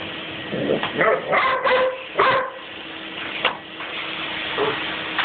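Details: Pet Weimaraner dog indoors, fighting a running vacuum cleaner it loves and hates: a few short, harsh, throaty barks in quick succession with some yips, over the vacuum's steady broadband roar.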